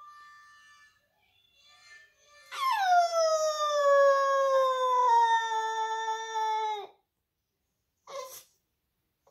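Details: Boxer puppy howling along to a recording of another puppy howling played nearby; one long, loud, harmonic-rich howl lasting about four seconds, starting high and sliding gradually lower, followed by a short squeak.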